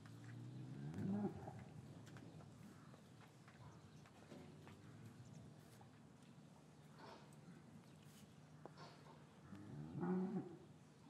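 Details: Cows lowing in a traditional English cattle yard on a winter afternoon, after the calves were separated from their mothers, recorded with a matched pair of Rode M5 microphones. Two low, harmonic moos, one early and one near the end, over shuffling and a steady hum.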